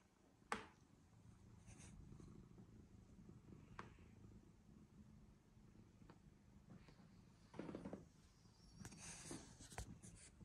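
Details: Domestic cat purring after coming up to the person: a soft, steady low rumble runs through the whole stretch, broken by a few sharp taps and brief rustling noises of handling in a small indoor room.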